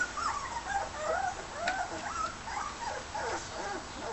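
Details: Red and white border collie pups, 18 days old, eating a solid meal; overlapping high squeaky whimpers and short yips, wavering and rising, several pups at once, with faint smacking and shuffling behind.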